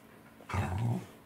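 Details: Welsh Corgi in a small indoor room at saury mealtime, 10 November 2020; one short, deep rumbling growl lasting about half a second, breaking from near silence.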